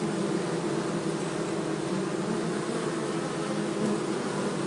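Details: Honey bees in the forest near Hebri, being moved from an anthill nest into a hive box by a beekeeper; a dense, steady low droning hum fills the recording with no pause.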